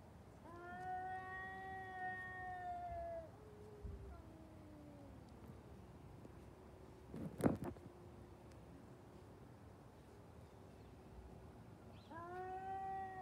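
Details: Domestic cats in a fight, giving long drawn-out harmonic yowls lasting about three seconds, a lower wavering moan, a sharp thump midway, then another yowl starting near the end.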